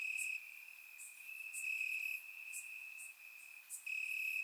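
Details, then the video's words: Summer-night crickets chirping in grass in Bulgaria: a sustained shrill trill with loud stretches at start and end and a quieter middle, plus sparse high ticks. "Cricket Sounds - Crickets Chirping at Night"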